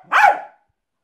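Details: Milo, a Jack Russell terrier performing tricks, gives a single sharp bark that rises and falls quickly, then silence.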